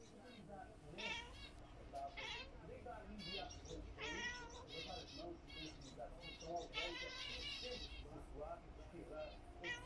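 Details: A domestic cat watching zebra finches gives several drawn-out, wavering meows, rising and falling over about nine seconds, as if trying to talk to them; the finches' faint high chirps and a woman's voice are also heard.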